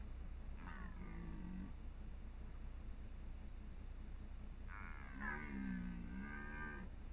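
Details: Red deer stag during the 2021 rut, two separate hoarse roars about a second each, deep and richly layered with a slight rise and fall, over steady low background rumble.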